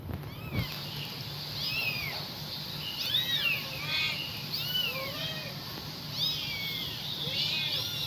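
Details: Kitten calling its mother with high, thin meows, arched and falling, repeated many times at irregular intervals over a steady low hum.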